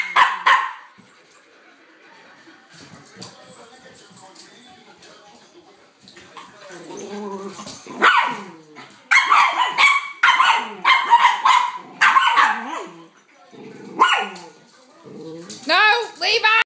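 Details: An upset Boston terrier lets out bursts of sharp, high yipping barks at a mini dachshund, with human voices in between.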